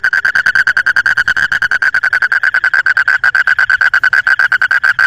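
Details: Frogs at night: a fast, even train of clicky pulses, about eight a second at one steady mid-high pitch, runs unbroken for five seconds.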